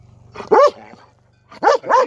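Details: Female pet dog barking outdoors on a cold, snowy day because she wants to play fetch: one sharp bark, a pause, then two quick barks in succession, with faint low background hum.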